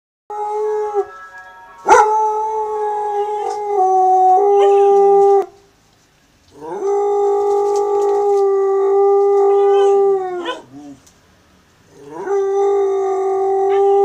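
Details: A Cocker Spaniel howls at a passing ice cream van in long, steady, mid-pitched notes that waver and fall away at the end.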